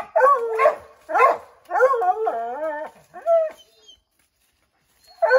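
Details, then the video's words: Redbone Coonhounds, a pack of five named dogs, treeing a chipmunk in an oak tree: loud baying barks with rising-falling harmonic bawls in bursts, a short pause, then another bark starts. "Redbone Coonhounds Tree a Chipmunk"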